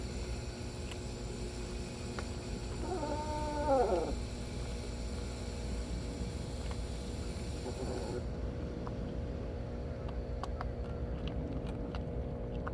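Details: Several cats huddled close together while eating. A single drawn-out harmonic meow rises and falls near the third second, set against a steady low hum and constant tonal background noise, with faint clicks later on.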